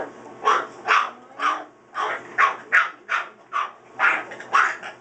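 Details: Two Pit Bull puppies, Lilly and Colby, during play give short, rough growl-barks, about two per second, each a harsh broadband burst, with faint voices behind.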